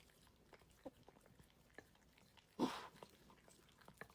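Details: Dog eating its food, unedited: soft scattered clicks of chewing, then one short louder breathy burst partway through before quieter crunching resumes.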